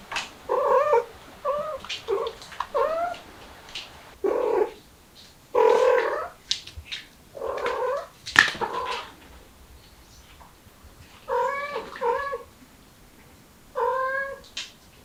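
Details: Mother cat with kittens trying to escape through a window, calling in loud, drawn-out wailing meows, some rising then falling, in bursts separated by short pauses.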